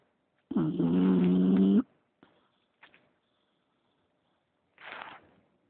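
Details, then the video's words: English Bulldog snoring: one long rasping, droning breath of about a second with strong low harmonics, then faint snuffles and a softer breathy huff. "Bulldog Ingles Leeloo Snoring"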